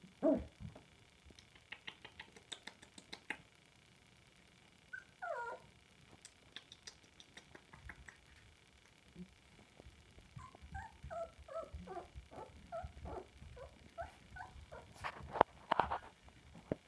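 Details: Samoyed puppies recorded indoors on 7 March 2020, giving short, high, squeaky yips and whiny barks in quick irregular bursts, with knocks and patter between them.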